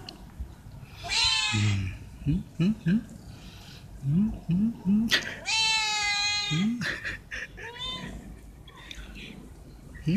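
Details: Stray cats being fed veg rissoles, meowing to ask for food or attention: long drawn harmonic meows rise then fall, mixed with short low chirping mews and a voice speaking nearby.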